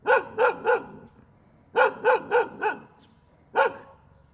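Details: Barking dog: a run of three clipped barks, a pause, then four more in rapid succession and a single final bark, over a quiet low background hum.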